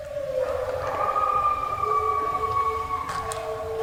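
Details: Mexican wolves (deeper howls) and American red wolves (higher, coyote-like yips) at a Eureka, Missouri wolf center howl together under a full moon, answering people's call-and-response howls, in long, smooth, overlapping tones that slowly slide in pitch.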